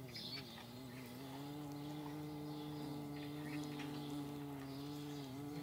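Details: Paper wasps in flight: a steady, droning hum with slightly wavering pitch, several overlapping buzzing tones holding throughout, with faint high chirps of birds flickering in the background.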